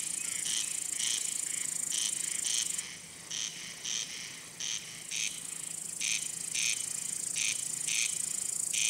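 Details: Male crickets chirping: short buzzy pulses in steady rhythm, several per second in bursts, over a continuous high, thin shrill trill that breaks off partway, then resumes.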